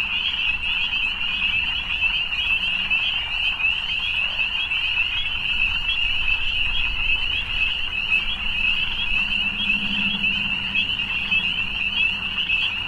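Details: Frogs in the evening keep up a thick, steady chorus of high-pitched trills without pause, while a few fainter, deeper droning notes rise briefly underneath near the end.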